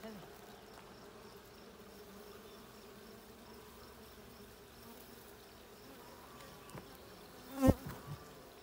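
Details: Honey bees buzzing inside a blue hive during a hive check on 20 June 2022. A continuous low, even hum runs throughout, broken near the end by a loud thump and a couple of softer knocks.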